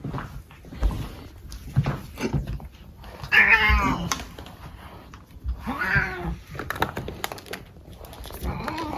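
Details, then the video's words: Brushed indoors, a male cat utters two arching, nasal meow-like cries a couple of seconds apart, between thumps and rustles of grooming. "My cat making funny noise when we brush him"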